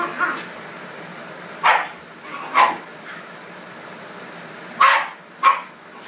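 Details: Two Shiba Inus, Videl and Rebel, squabble over a red couch indoors. Five short, sharp yips and barks come singly or in pairs, with quiet gaps between them and a low steady hum underneath.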